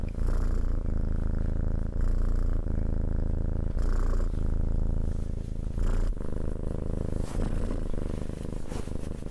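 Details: Domestic cat purring close up: a steady, deep, rumbling purr that runs almost without a break, with faint rustles and small shifts in loudness.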